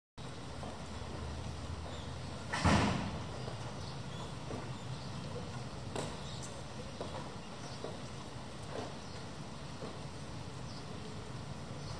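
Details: Low background rumble with one loud thump, like a door, and a few faint scattered knocks; no clear animal voice.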